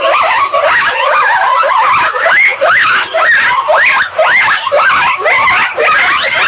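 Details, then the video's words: Guinea pigs giving loud, rising, whistled squeals, repeated almost twice a second in an uneven rhythm, each note sweeping upward and breaking off, with more squeals overlapping in the background. "Guinea Pigs Sound"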